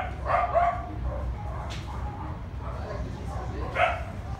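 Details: Samoyed puppies in a garden: two short, bright yipping barks, one near the start and one near the end, with a faint squeak between them, over a steady low rumble and voices.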